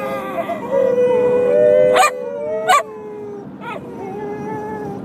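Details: Group of whippets in a howling chorus: drawn-out wavering howls that fall away, broken by two short loud yelps around the second and third seconds, then quieter overlapping tones continue to the end.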